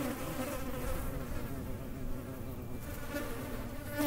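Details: Continuous wavering hum of a hornet close by, a deep buzzing drone with faint rippling overtones and no breaks, over low rumbling background.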